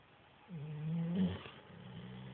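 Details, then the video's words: Chocolate Labrador Retriever fast asleep and snoring: one drawn-out, low, droning snore starts about half a second in and lasts roughly a second, then fades into a faint rumble against a quiet room. "Chocolate Lab snoring"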